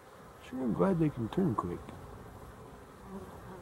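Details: Honey bees on 12-11-23: a cluster of loud, wavering buzzy hums bending up and down in pitch during the first two seconds, then fading to a soft distant drone over low hiss.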